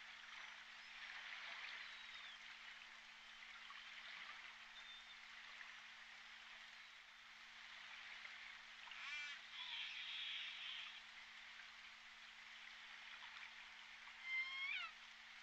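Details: J Pod orcas heard on the Point Robinson hydrophone on December 14, 2021: faint, scattered squeaky upswept calls over a steady hiss of underwater noise, with a brief louder rising whistle near the end and a low constant hum.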